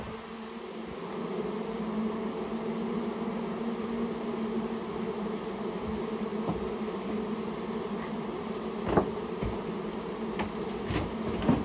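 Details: Japanese honey bee colony taken out of a storehouse where it had nested; a sustained humming drone throughout, with scattered sharp knocks and taps in the latter half.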